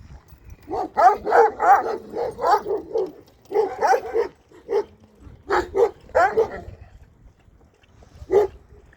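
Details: Kangal dogs in Sivas-Şarkışla, Turkey, giving deep, harmonic barks in rapid bursts of several, pausing between runs, with a single bark near the end; a person calls to the dogs softly between bouts.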